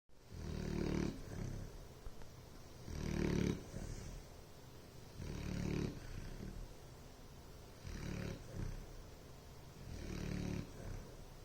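A sleeping Bloodhound snores in deep, rumbling breaths about every two and a half seconds.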